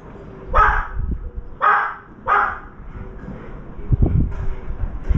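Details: Dog barking close to a veranda, the barks unsettling a crow while a trapped turtle dove flaps: three loud barks in quick succession, followed by fluttering and knocking noises.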